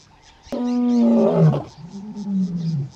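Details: White lion brothers of Casper roaring one morning near Satara Rest-camp, Kruger National Park, calling for their missing brother; a single deep rising groan swells after a sharp click and trails into a lower moan.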